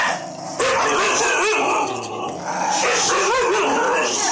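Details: Siberian Husky howling in the background from a safe distance, joining in while another pet dog attacks a toilet roll; drawn-out wavering howls that rise and fall, over dog noise and a person's voice.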